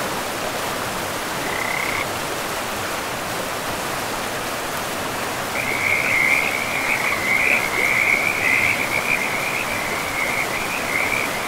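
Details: Forest frogs beside a river. A brief call near the start, then a dense run of rapid, rattling high-pitched croaks in the second half, about 136 a minute, over a constant hiss of running river water.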